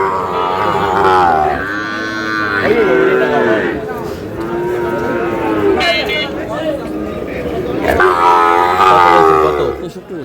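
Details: Sahiwal bull calf, eight to nine months old, offered to a farmer from Dhaka: long drawn-out moos with stacked tonal harmonics at the start, middle and end, with men talking and bargaining throughout.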